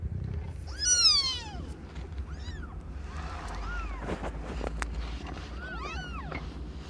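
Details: A loud, wavering meow opens, then quieter bent mews and light clicks follow, as Aimee, a cat under one year old, gives birth to five kittens of different colours.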